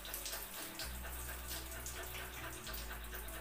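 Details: Water runs and splashes steadily as from a tap into a tub, with no animal voice.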